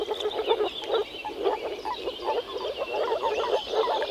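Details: Chorus of male moor frogs gathered to mate in an early-spring forest pond, croaking through vocal sacs: dense overlapping low bubbling notes in quick series, many callers at once, birds singing faintly behind.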